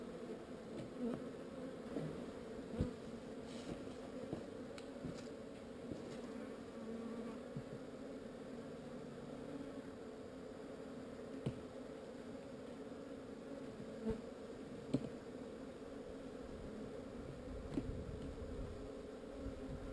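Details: Honey bees in a swarm moved from an unwanted location, giving a long, even, quiet droning hum at two stacked pitches, with scattered soft taps and clicks over twenty seconds.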